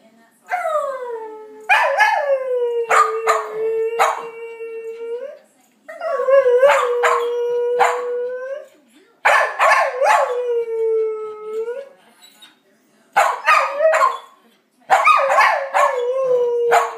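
A Blue Heeler howls in drawn-out, level notes of three to four seconds each, repeated after brief pauses. Sharp yips and clicks break into the start of each howl.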